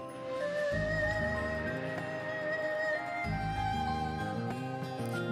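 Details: Soft instrumental music throughout, a sustained melody over a pulsing lower accompaniment, with no animal voices.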